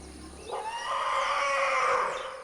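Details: A newborn African forest elephant calf (Loxodonta cyclotis) gives a high, drawn-out, wavering cry that rises in and fades away; this particularly high cry marks a very young calf.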